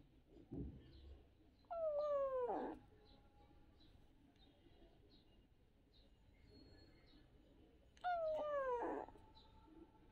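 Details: Kitten at play, calling twice about six seconds apart: each meow a falling, harmonic-rich wail under a second long, ending in a brief raspy flare, with a soft thump before the first and quiet hiss between.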